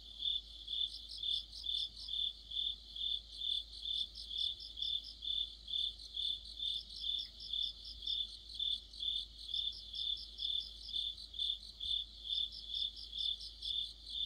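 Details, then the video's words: Cricket chorus in the depths of autumn, heard under a streetlamp among other insects: steady high chirps pulsing about twice per second with a faint second caller above, quiet otherwise. "가을의 한 복판 곤충들의 합창"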